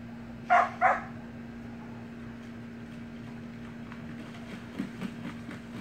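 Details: Samoyed puppies at play in a pool: a quick pair of yappy barks at the start, then only a steady low hum with faint scattered noises and soft splashing.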